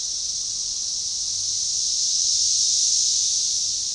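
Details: Magicicada tredecassini chorus, organized and synchronizing, recorded along a baseball trail forest edge near DeValls Bluff, AR, June 7, 2015. A steady high-pitched hissing drone grows slightly louder midway through.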